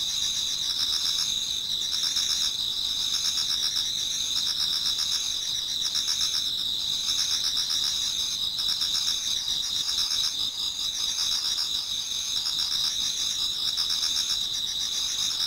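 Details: Numerous insects singing in an autumn Japanese garden toward dawn, layered high shrill tones and rapid pulsing trills repeating in waves of a couple of seconds, continuous and dense.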